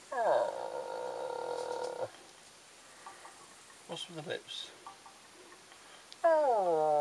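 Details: Dogs named Ben, Ludo and Tina howling indoors: a long, steady harmonic wail holds for about two seconds, then quiet with faint clicks, before a falling howl starts again near the end.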